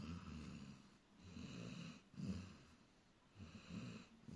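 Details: Dog snoring peacefully while asleep: low, rumbling snores with a fluttering rasp, each breath swelling and easing roughly every second, in a quiet room.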